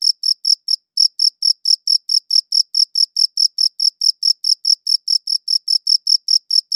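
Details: Cricket chirping in sharp, high pulses at a brisk steady pace, with one brief pause near the start before the regular rhythm resumes; recorded in clean high-quality audio.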